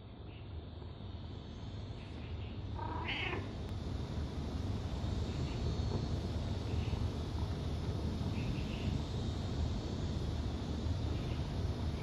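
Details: Calico mother cat purring while nursing her kittens, a steady low rumbling drone that swells slightly after the first seconds, with a brief higher squeak near three seconds.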